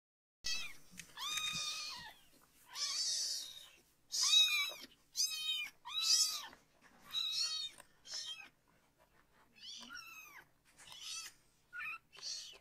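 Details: Three-week-old-style foster kitten, one of three siblings still needing toilet help, crying loudly while its bottom is washed with shampoo; repeated drawn-out high meows, about nine calls with short gaps, some rising then falling.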